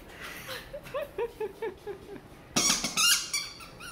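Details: Labrador Retriever in Miami, a joyful female, reacting to a new toy: a run of short, high, squeaky whines, rising and falling, about two per second, then a loud burst of clattering noise near the end.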